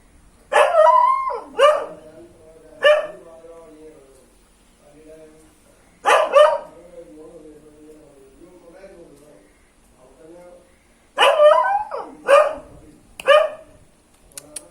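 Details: A local dog barks in friendly greeting at an unfamiliar relative: quick groups of three sharp, fairly high barks, about five seconds apart, against an otherwise quiet background.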